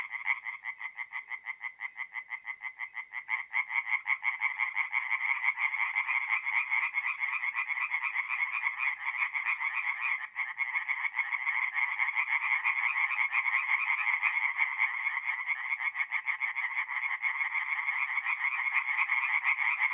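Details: Tree frogs in chorus after dark at a north-east Italian forest pond in mid-April; many voices layer rapid rasping pulses into a continuous, rhythmic din that thickens and grows louder after the first few seconds.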